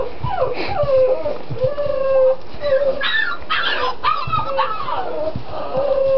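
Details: Six-week-old puppies from one litter whimper and whine in high, wavering tones that slide up and down, several short squeals overlapping through the clip, with a person speaking quietly in the background.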